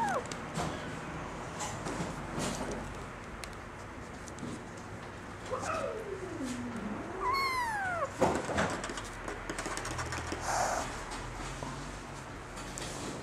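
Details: Young female Singapura kitten, nursing and growing well, parents both CFA champions; a long wavering meow sliding downward followed by a shorter high arched mew, amid soft indoor rustling and handling noises.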